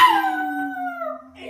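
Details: A single sustained Chihuahua howl, a steady drawn-out tone that dips slightly in pitch and fades after about a second.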